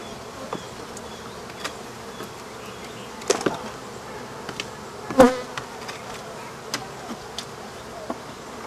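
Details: African honey bees buzz while the rest of their hive is removed from behind a wall. A faint, steady drone runs beneath scattered clicks and knocks from the work.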